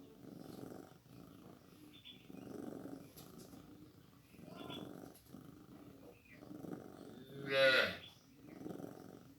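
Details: Newborn kitten being fed milk; steady rhythmic purring pulses roughly once a second, interrupted near the end by a single short, high, wavering mew before the purring resumes.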